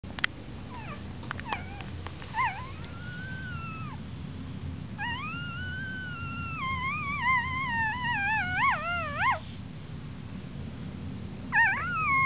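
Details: Puppy crying: high, drawn-out whines with strong overtones that waver up and down. A long wailing stretch in the middle ends in quick warbling wobbles, with short cries early and again near the end, over a steady low hum.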